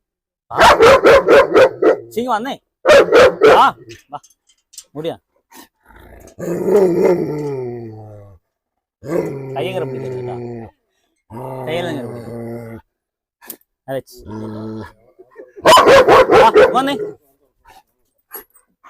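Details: German Shepherd let loose after someone entered a house in Perumbavoor, Kerala, India, during a dog challenge where the dog is provoked to bite. Loud bursts of deep barking near the start, around three seconds and near the end, with people talking in between.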